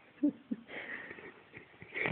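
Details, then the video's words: Jasper Franklin, a Cavalier King Charles spaniel, snoring: two short low puffs, then a long breathy, wheezing rasp that swells again near the end. No other clear sounds. "Jasper Franklin the snoring Cavalier King Charles Spaniel"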